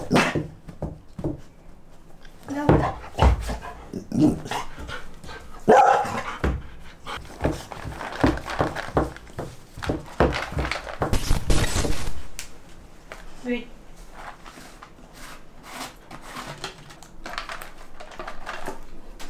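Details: A female golden retriever, trying to unbox her dog biscuit treats, gives short, excited barks and whines between bouts of panting and crinkling packaging rustles.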